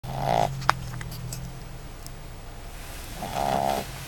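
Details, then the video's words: A 3-month-old Boston Terrier snores on the ride home, giving two raspy, nasal breaths about three seconds apart. "Boston Terrier Snore"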